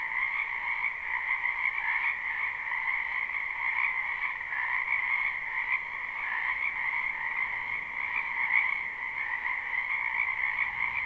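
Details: Frogs calling together in a wetland during spring, recorded live: an unbroken shimmering chorus of high trills over a softer lower band, with slight swells in loudness but no pauses.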